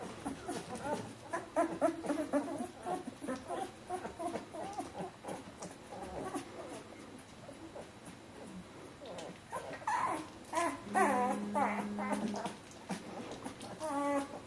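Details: Bernese Mountain Dog puppies of the B litter from Jeanie and Captain, fourteen days old: a dense, busy stream of high squeaks and whimpers, several overlapping, with a steady humming tone in the middle of the stretch.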